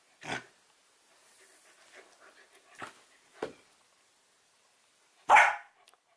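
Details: A female Samoyed puppy named Nukka demands that someone pick up her dropped porcupine toy: a few soft, short huffs, then one sharp, loud bark near the end, with light handling noise between.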